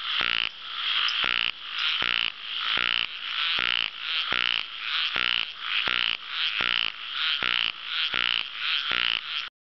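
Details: Ornamented pygmy frog chorus: grating, pulsed croaks about half a second long, repeated quickly and fairly regularly, around eighty a minute, with no other noise.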